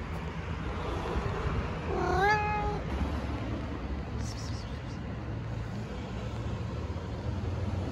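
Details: A single drawn-out meow from a stray cat in Istanbul, rising then holding steady for under a second, over a constant low background hum of traffic.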